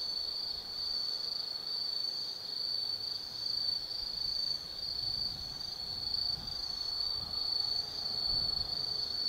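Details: Autumn insects singing at night in Tsukimi no Mori forest, Kaizu, Gifu, Japan, from a lookout 180 m above the Nobi Plain: a steady high shrill trill with slow pulsing swells, faint low rumble beneath.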